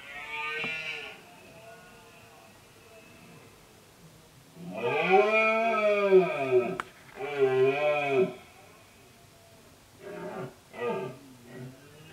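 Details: Red deer stag in late-summer rut asserting himself over a group of hinds and rival males; a short bellow, then two long arching roars back to back, and finally a series of shorter grunting bursts.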